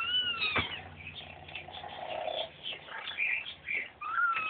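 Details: Three five-week-old kittens wrestling: high, thin squeaks and whiny squeals rise and fall over scuffling and a sharp thump, with the kittens crying out several times in under five seconds.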